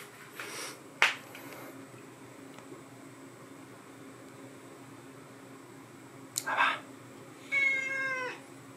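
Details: One of two teenage domestic cats heard in the morning; a few soft knocks and rustles, then a clear, harmonic-rich meow near the end, rising and falling over under a second, in a quiet indoor room.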